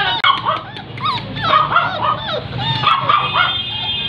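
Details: Labrador Retriever puppies kept indoors in Barrackpore, West Bengal, whimper and yip in a run of thin, wavering, high-pitched whines that rise and fall, several overlapping, with faint human voices behind.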